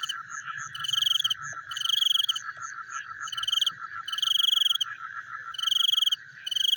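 Frogs call together at night, a continuous fast-pulsed murmur running underneath. Over it come high, grating trilled bursts, each lasting about half a second and repeating roughly every one and a half seconds.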